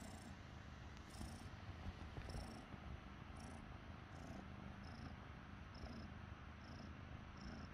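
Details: Purring of Glue, a roughly five-month-old cat found in the forest, while sharing affection with its human: a continuous low buzzing rumble, evenly pulsed, with light rhythmic breath accents about once a second.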